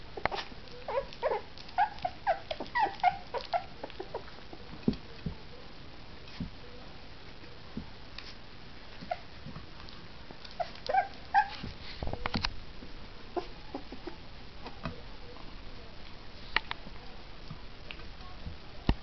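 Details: Two three-week-old female puppies at their first mush meal make scattered thin whines and squeaks between loud slurping, licking and clicking feeding sounds, busiest early and around the middle.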